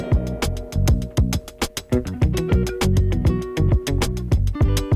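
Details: Rhythmic strummed guitar music with a steady beat and bass, and no animal voice.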